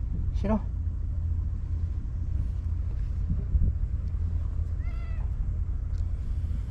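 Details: Japanese stray cats, a white cat and a companion, on breakwater tetrapods near anglers. A sharp meow opens the clip, and a second drawn-out, wavering meow comes near five seconds, with people talking and a constant low mechanical hum.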